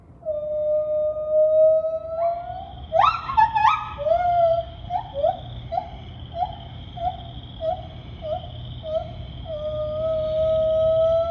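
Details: At Assiniboine Park Zoo on May 5, 2023, a white-handed gibbon sings loud, pure hoots that swoop upward, then break into a fast series of rising notes.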